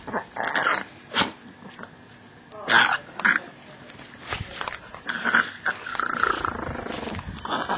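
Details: Chihuahua named Tinkerbell attacking Ash, a 12-week-old German Shepherd puppy: harsh snarling growls and sharp yelping bursts, uneven and scattered across eight seconds, with faint human voices beneath.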